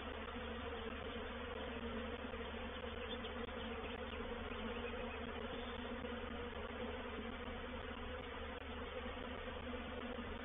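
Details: Reproductive swarm of honey bees entering a bait hive, or swarm trap, at Painted Peacock Manor on 04/07/21. A thick, continuous buzzing drone of countless bees holds level for the whole stretch, with no breaks.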